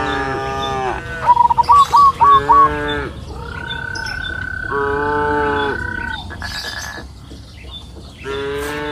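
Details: Afternoon on a lush green pasture hill where grazing cows give drawn-out, deep moos, two in quick succession at the start. A bird's rapid trilled chirps overlap the second moo, and a long steady high tone runs beneath.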